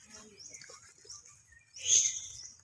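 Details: Baby monkey screaming in fright after hearing people cough: a loud, shrill, high-pitched burst near the end follows softer scattered squeaks and faint background chatter.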